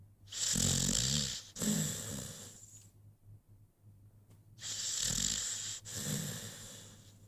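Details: Rocky, a young American Pit Bull Terrier, asleep and snoring indoors: two long raspy breaths with low rattling, the second after a quiet gap of about two seconds, each hissy and broad.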